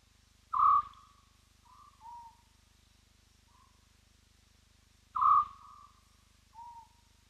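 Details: A spotted hyena at Roy's Dam calls in a slow series of whoops, each loud and clear, sliding downward and fading into softer lower echoes, several seconds apart.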